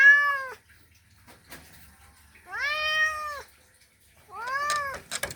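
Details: Male cat's mating call toward a female: three drawn-out meows with steady, slightly arched pitch, separated by quiet gaps with soft tapping and clicks.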